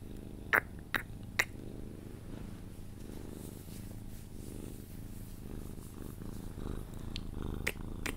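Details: Sphynx cat purring during cuddles, drifting toward sleep. A continuous deep, throbbing purr is heard, with three sharp clicks at the start and a few more near the end.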